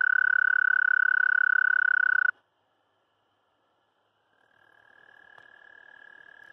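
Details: Mating call of the American toad (Anaxyrus americanus): a loud, pure trill stops abruptly after two seconds, silence follows, then a softer, more distant trill fades in and continues.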